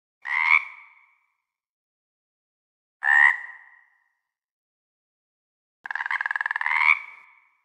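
A frog gives two short, nasal croaks, then a longer rattling, pulsed croak.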